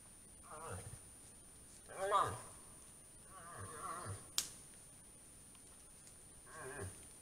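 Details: A moose gives short, quavering, nasal moans like groans, repeated several times during the autumn rut.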